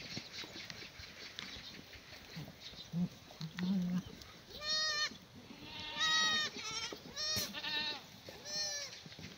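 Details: Herd of black goats in a farm yard in Sangdong-myeon, Gimhae, South Korea, sunny morning in late May, at feeding time; after a quiet start, four loud quavering bleats come in quick succession, with rustling and knocks.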